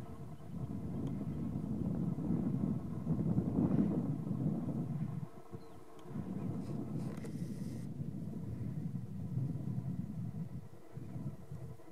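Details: Steady low rumble of wind and engine noise fills the clip, with no animal calls standing out.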